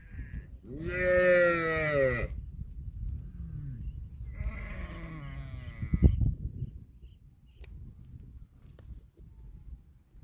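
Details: Cow eating grass gives a loud harmonic moo that starts high and sinks over about a second and a half. A softer, wavering second moo follows a few seconds later, with faint rustling in between.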